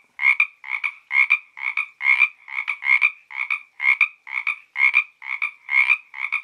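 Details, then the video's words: Frog croaking beside the Santa Ynez trail in Topanga State Park: steady two-part raspy croaks, each a quick double pulse, repeated about twice a second with brief pauses, no other sounds. "Frog Music"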